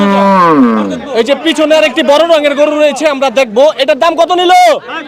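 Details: Cattle at a cow market in Hazratpur, Bangladesh, where animals are being sold: a low moo opens the clip, sliding downward over about a second, then lively human talk and chatter fill the rest, with possible further lowing beneath the voices.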